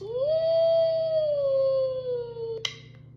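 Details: Bat-eared fox giving one long tonal whine that rises quickly, holds steady, then slowly sinks over about two and a half seconds, ending with a sharp click.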